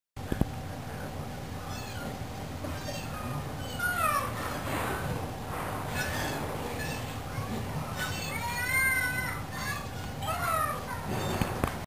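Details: Ring-tailed lemurs, recorded 20 February 2012, give wavering, cat-like mewing calls that rise and fall in pitch over a steady background murmur.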